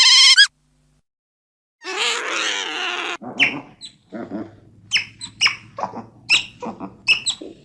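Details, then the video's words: Otter calls: a brief shrill squeal, a pause, then a harsh wavering scream followed by a string of short sharp chirps and squeaks over a low steady hum. "Sound of Otters."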